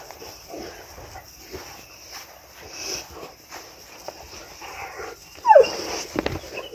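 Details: Boerboel from a pack of five, adult females with young ones, playing and rolling in garden grass in the afternoon sun; one short yelp falling from higher to lower pitch near the end, over quiet rustling and scuffling.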